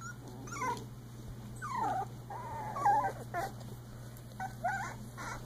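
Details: Young Icelandic Sheepdog puppies, three weeks old, during play, uttering thin whistled whimpers and squeaks in short separate bursts across a quiet background.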